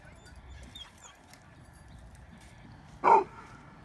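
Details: Dog park encounter where a Bulldog challenges Winston, a Mastiff/Pit mix, with lunging and collisions; a single loud, short bark bursts out near the end after quiet low background murmur.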